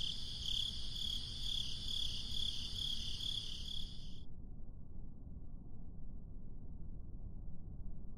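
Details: Crickets on a breezy summer night: a steady, high, pulsing trill runs for about four seconds and then stops abruptly, leaving only a low, rumbling wind noise for the rest of the recording.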